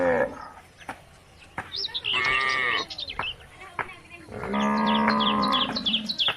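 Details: Cows roaming country roads, calling the herd home to the barn: two drawn-out, harmonic moos around two and five seconds, with many chirping birds and sharp clicks throughout.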